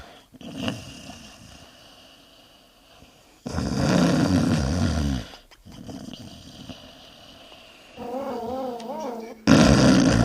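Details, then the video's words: Sleeping dogs snoring with flapping lips: short bursts of rough, low rumbling snores separated by quiet gaps and abrupt cuts between scenes, with a brief wavering tonal sound shortly before the final burst. "SNORING DOGS FLIPPING LIPS"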